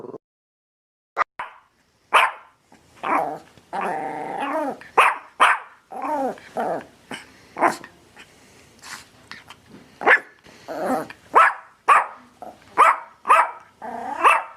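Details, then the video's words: Dog barking excitedly with growl-like rumbles mixed in, barks coming in quick irregular bursts throughout. "Dog Barking Sounds"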